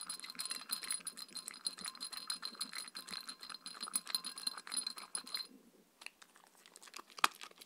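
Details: Chewing and crunching from Mindy, a Shetland Sheepdog, during her evening raw kangaroo dinner with coconut oil. Rapid rattling bites with a metallic ring run for about five seconds, then thin out to a few scattered clicks.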